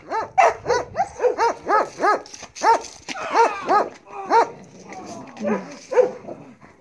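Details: Belgian Malinois Marley in bite work training gives a steady run of sharp, ringing barks, roughly two per second, then slower, weaker barks and a short whine near the end.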